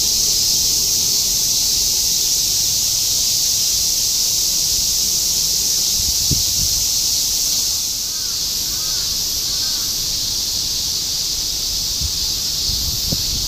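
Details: Continuous summer chorus of cicadas in Shinjuku, Tokyo, 2016: a dense, steady high-pitched hiss filling the air without pause, with faint brief bird chirps near the end and low city rumble beneath.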